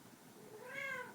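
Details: Chloe, a pet cat, meows indoors after having some catnip while enjoying soft wool carpeting: one short meow with rich harmonics that swells, arches up and then falls away, in a quiet room.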